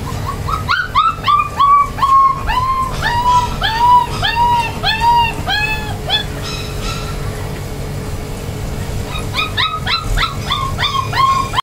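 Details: Several Golden Retriever puppies in Chennai whine in a steady run of arched, whistled yelps, each falling at the end. A brief pause follows, then more overlapping whimpers, over faint background music and a low hum.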